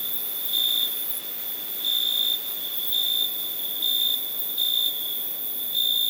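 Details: A cricket sings a steady, shrill ringing note, swelling into louder chirps roughly every second.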